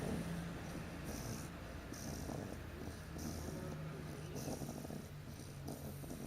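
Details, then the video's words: A puppy named Tally, passed out in her car crate after puppy class, snores with soft, low rasping breaths that repeat steadily against a constant background rumble. "Tally snoring"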